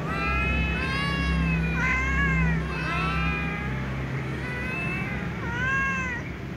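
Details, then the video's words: Several domestic cats, including a ginger and a silver cat, meowing pitifully at meal time; overlapping drawn-out harmonic meows, some rising then falling, repeated about once a second over a low steady hum. "little cats , tom cat , ginger cat , silver cat meows pitifully at meal times"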